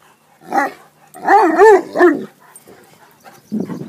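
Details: Excited Leonbergers heading out for a swim give a short whine, then a run of three quick, bending, nasal whimpering cries, and finish with a low, rough grunt.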